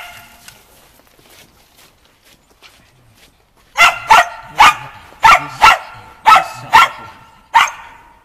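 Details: Shaun, a Shetland Sheepdog, in agility training with dog walk and running-contact work, 11.11.2013. Nearly four quiet seconds with faint rustling, then eight loud, shrill barks in an uneven burst, some paired, roughly two per second.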